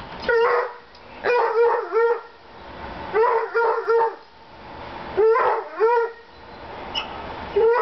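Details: Dogs barking while playing together on deck steps, one getting upset when another freezes on the steps; high, ringing yelping barks come in bursts of two or three, separated by short pauses, about four bursts through the stretch.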